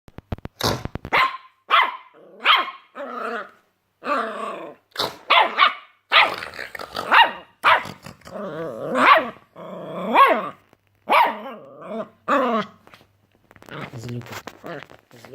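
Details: A puppy barking at snoring lets out a long run of high, yappy barks mixed with rough growling yips, one every half second to second with short pauses between bursts; no snoring can be picked out.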